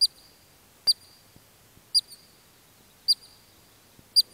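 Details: Kananaskis Country, Alberta, Canada: a Columbian ground squirrel utters four loud, shrill single chirps spaced about a second apart over quiet background.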